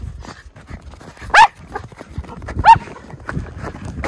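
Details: Two short, sharp barks about a second apart from one of two Miniature Schnauzer brothers, Lucky and Levi, romping in deep spring snowpack in their yard in Aroostook County, Maine, on 11 February 2023, with soft snow crunching between.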